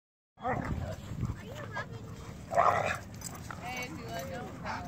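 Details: Catahoula wrestling with Connor, an Irish Wolfhound of 8.5 months weighing 145 pounds, during rough play: short whiny yelps and sliding whimpers, one louder barking burst midway, over a low rumbling background with some human voice.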